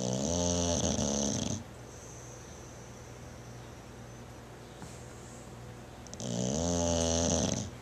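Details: Bulldog asleep indoors, snoring loudly: a rough, buzzing snore of about one and a half seconds at the start, a quiet pause of several seconds, then another long rattling snore.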